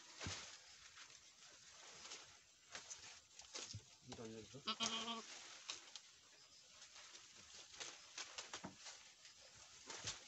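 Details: Boer goat on a farm in Nepal, where a first-time doe has just given birth to a male kid; a short, wavering, harmonic bleat rises midway through, surrounded by rustling, clicks and quiet background noise.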